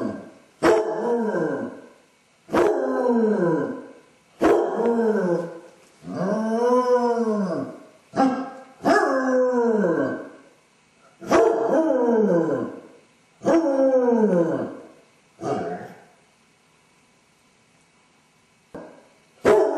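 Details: Lone Basset Hound with separation anxiety, filmed by a home camera while its owner was out, giving arched, mournful howls roughly every two seconds, about nine in a row, each rising then sliding down, with brief silence between.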